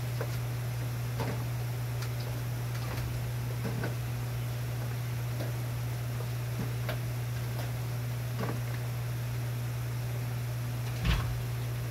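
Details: A steady low electrical hum runs throughout, with scattered soft ticks and clicks and a sharper knock near the end.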